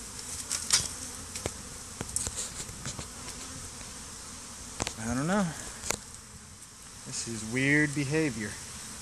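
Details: Honey bees swarming over a stump by the hives with some bees fighting; background buzzing with scattered clicks, then two wavering, rising-and-falling droning buzzes from bees flying close by, around five and eight seconds.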